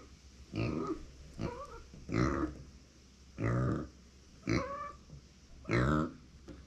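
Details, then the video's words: Kept female micro pig, born September 2020, calling when left without company. Six nasal squeals with wavering, rising-and-falling tones, each roughly half a second, come at uneven intervals of about one to one and a half seconds. "そばにいないと鳴く マイクロブタ"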